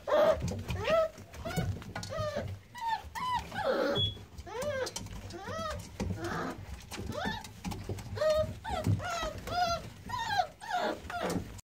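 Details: A litter of American Staffordshire Terrier puppies, newborn on 9-6-17, squealing almost without pause: overlapping thin, arched whines and squeaks from several pups in a small indoor space.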